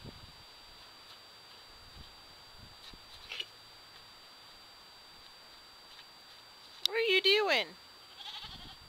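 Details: Three-week-old Nigerian Dwarf doeling being playful: a single loud wavering bleat near the end, after a long quiet stretch with faint rustles and a steady electrical whine; a woman talks to the kid afterward.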